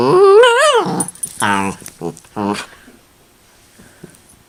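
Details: Miniature Dachshund indoors making noises: a wavering, yodel-like whine opens, followed by three short, low, grumbling moans, then quiet room sounds.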